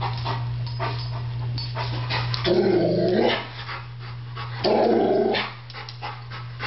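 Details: A male Rottweiler, apparently thinking a barbecue grill is about to attack him, gives two deep, drawn-out growling barks over a steady low hum while a Doberman watches.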